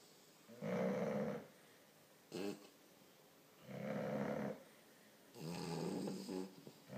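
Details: A 4-month-old English Bulldog puppy snores in slow, rasping rumbles, each about a second long with quiet gaps, in a snoring contest with an American Bulldog.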